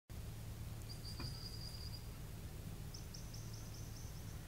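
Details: A little ground squirrel on the Beglitskaya Spit gives thin, high whistled calls in short repeated bursts over low rumbling wind.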